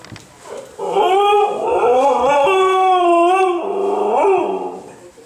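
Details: Female Siberian husky howling indoors, eager to go out after a two-day move without exercise; a long wavering, harmonic-rich howl rising and falling for about four seconds, with a brief whine at the start.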